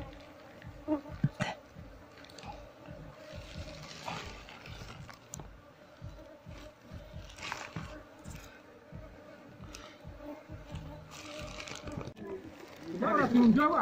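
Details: Asian honey bee (Apis cerana) colony nesting in a septic tank, disturbed while being moved into a hive box. A steady low humming drone with a higher overtone runs throughout, over irregular tapping, scraping and a man's voice.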